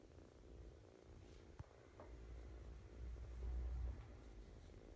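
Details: Kitten purring, one of a pair of foster kitten sisters taken in during spring 2017, now leaving for new homes; a steady low rumble that swells louder around the third and fourth seconds, with a sharp click near 1.6 seconds.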